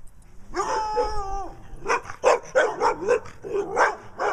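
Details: Brown dog barking at home in Wadena, Minnesota, while Stella, a dog with black eye patches, acts nutty, both seeking attention; a drawn-out whining tone lasting about a second gives way to a quick run of sharp barks.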